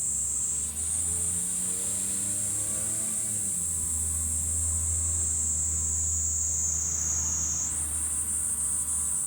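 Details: Cicadas in July on a hilltop overlooking Fukuoka city, Japan: a steady high shrill drone that shifts slightly upward near the end, with a low engine-like hum and humming tones beneath.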